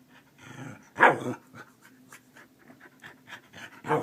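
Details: Keeshond waking its owner in the morning like an alarm clock; soft rhythmic panting and snuffling with a louder breathy whine near the second second and again at the end, steady low hum indoors.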